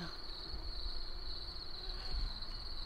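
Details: Crickets keep up a steady, high, shimmering trill over a low background rumble around 10:00 at a mountain-village farm stay in Bucovina, Romania.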